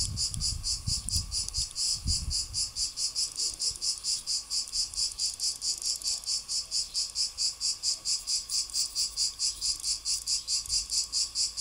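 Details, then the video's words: A cicada (Greek τζιτζίκι) singing a high, grating buzz chopped into even pulses roughly twice a second, very regular throughout, with a few low thuds early on and faint background hum. "cicada / τζιτζίκι / τέττιξ"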